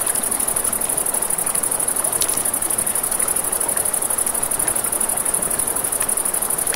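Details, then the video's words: Crickets at night beside a river. A steady, high, shrill trill pulses rapidly and without a break. Crackling campfire snaps and the broad rush of flowing water sit underneath. "Crackling Fire, Crickets"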